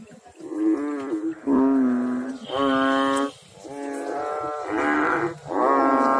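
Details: Frogs calling in water: a series of drawn-out, nasal, harmonic notes about a second long, each level in pitch and following closely on the last, with several overlapping voices and no other sounds.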